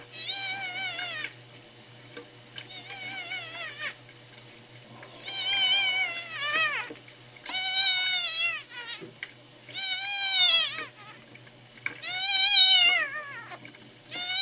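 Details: Miel, a male red tabby and white kitten rescued at one day old, now ten days in care, dehydrated and not drinking milk; long, wavering high-pitched cries repeat roughly every two seconds, growing louder toward the end, in a quiet room.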